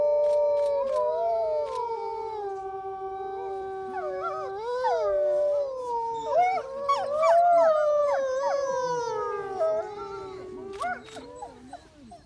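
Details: Gray wolves in Reading, UK howl together in long, sliding tones that rise and fall and overlap into a chorus.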